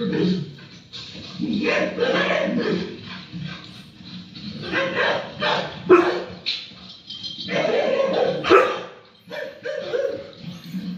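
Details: An Akita Inu gives deep, broad barks and throaty vocal sounds in uneven bursts, barking to its four-legged YouTube friends.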